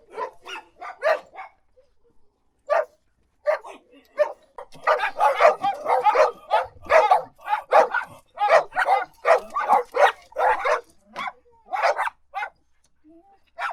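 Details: Dog barking in short sharp bursts, sparse single barks at first, then a rapid run of repeated barks from about five seconds on, with brief pauses between volleys.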